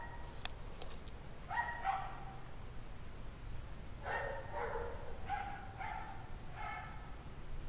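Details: Barking from a group of dogs left out on a 17°F January evening in 2009, at five o'clock. Sharp clicks open, then short bursts of several hoarse barks each, with pauses between, sounding somewhat distant.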